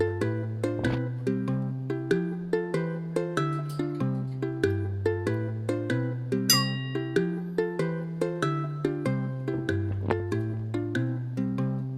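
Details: Bright plucked ukulele tune with a steady bouncing bass line and no animal sounds.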